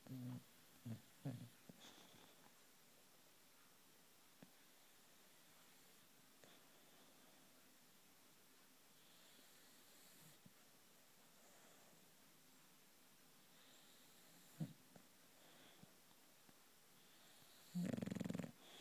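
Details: Loulou, a female British bulldog, asleep and snoring: a few short snorting breaths at the start, long near-silence with faint breathing and small clicks, then one loud, harsh, rattling snore near the end.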